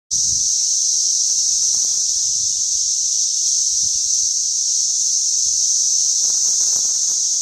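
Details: Cicadas calling in suburban St. Louis on June 5, 2011, recorded alongside a sound level meter: one loud, unbroken, high-pitched shrill drone that holds steady the whole time, with faint low rumbles beneath.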